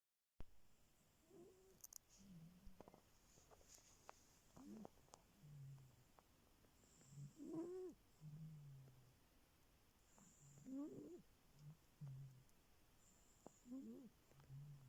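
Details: Sleeping cat snoring: soft nasal whistles that rise and fall, mixed with low hums, roughly one breath every three seconds, in a quiet room.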